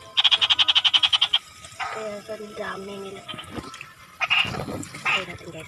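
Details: A frog gives a loud run of about a dozen quick, rattling croak pulses lasting just over a second, followed by softer, lower mixed sounds and faint background noise.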